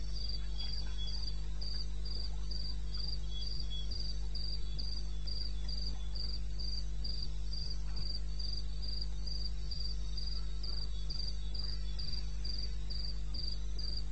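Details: In the wilderness of eastern Botswana at 2:30 am on 21 May 2016, a cricket repeats a bright high-pitched chirp around four times a second without pause, over a persistent low hum and faint extra insect notes.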